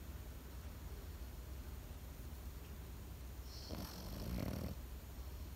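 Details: A single hoarse snore from a sleeping Pekingese rises near the end. It is a brief, noisy rasping breath after a few seconds of quiet low hum.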